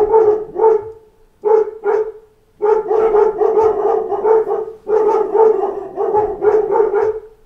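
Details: A pack of dogs barking at knocks at the door: bursts of short, overlapping barks in quick runs, with brief pauses near one and two and a half seconds before the chorus of barking resumes.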